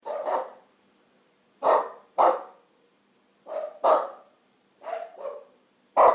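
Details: A dog barking in short, mid-pitched woofs, mostly grouped in pairs with pauses of about a second between groups, against a quiet, clean background.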